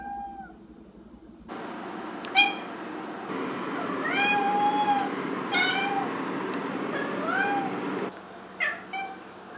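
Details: A female Maine Coon cat, heard from kittenhood to adulthood, meows repeatedly with drawn-out, tonal calls that rise and fall.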